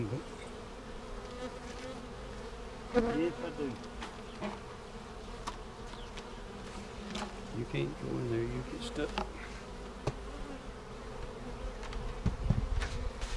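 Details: Honey bees in a hive seven days after a vertical split with a double screen divider board, checked for queen cells on March 10, 2019: a steady, low droning hum throughout, with scattered clicks, handling knocks and faint human voice.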